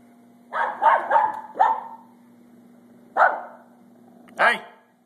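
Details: A feisty female Pembroke Welsh Corgi kept as a pet, worked up and barking: a quick burst of four sharp barks, then two more spaced barks, over a steady low hum, with a person nearby scolding her.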